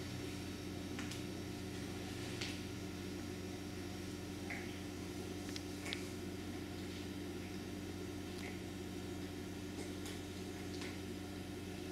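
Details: Steady electrical hum and room noise fill the recording, broken only by a few faint clicks and rustles.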